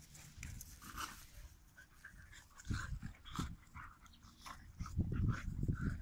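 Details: Pit Bulls in mock fight. Quieter low growls come in short bursts around the middle and a louder rumbling stretch near the end, with soft panting and movement noise in between.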